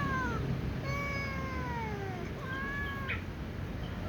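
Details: Before a meal with other cats, a little cat gives long, gently falling meows, one after another, then a shorter pair, with a brief noisy puff; low steady hum fills the background.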